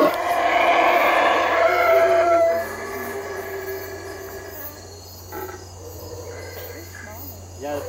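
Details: Howler monkeys calling boisterously: a loud, rough roaring chorus with layered harmonic tones for about two and a half seconds, then fading to a quieter background with faint, scattered calls.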